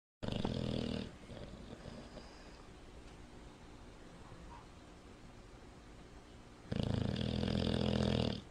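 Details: Sleeping Bulldog snoring: a loud, rasping snore opens the recording, then low, droning breaths rumble steadily, before another long, harsh snore swells near the end.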